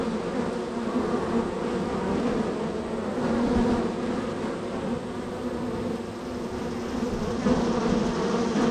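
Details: Very active honey bees at hive number three on a row, with constant entries and departures; a thick, unbroken humming buzz that gently rises and falls in loudness.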